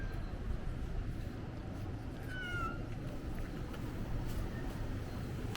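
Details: Stray cat on Ikeshima, a cat island, in winter between late 2024 and early 2025: one short, downward-sliding, tonal meow with clear overtones. A steady low rumble of wind or engine noise runs throughout.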